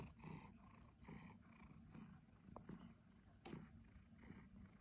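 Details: Purring of a two-year-old male Siberian Forest cat kept as a pet: a soft, low rumble swelling and fading in steady breath cycles roughly once a second, close and quiet.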